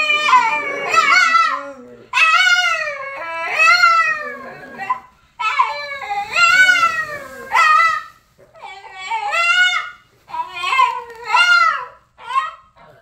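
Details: Boston, an exceptionally vocal Boston terrier, sings a run of bent, wavering howls in bursts of about one to two seconds, rising and falling in pitch with short gaps, indoors.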